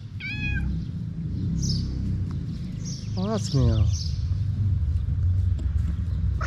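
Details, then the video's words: Stray cats in Morocco crying out when their food server arrives: one short meow at the start, then two overlapping wavering meows midway, against a heavy low rumble of street noise. "When cats see the food server, they start meowing everywhere."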